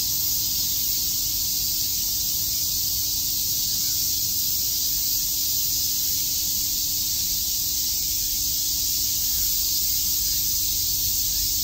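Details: Steady hissing chorus of cicadas on a summer day at Shakujii Park, Tokyo; the shrill insect buzz stays level and unbroken from start to finish over faint low background noise.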